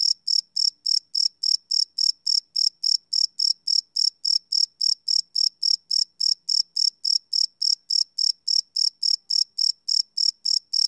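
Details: Crickets chirping at night, recorded live on a Sony PCM D100 field recorder: steady high-pitched pulses repeated about three and a half times per second, clean and even, with no other sounds.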